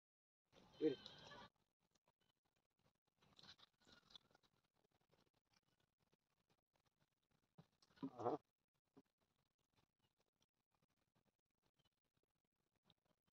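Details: Goat bleating in two short, loud, harmonic bursts, one near the start and another around eight seconds, with long quiet stretches and scattered faint clicks between them.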